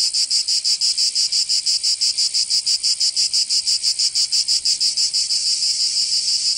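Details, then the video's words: In southern France's Provence during summer, cicadas sing a piercing high buzz beating in regular rapid throbs, the pulses smoothing slightly toward the end while the drone continues. "Canto Cigarra 🦗 [ Escuchar les cigarras en verano 10 H]"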